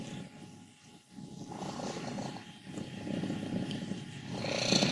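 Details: Wassilissa, a 14-year-old female domestic cat from Leutkirch im Allgäu, Germany, described as old, happy and healthy per her vet, gives a soft rattling purr-like rumble that grows louder toward the end, with a faint higher squeaky tone at the close.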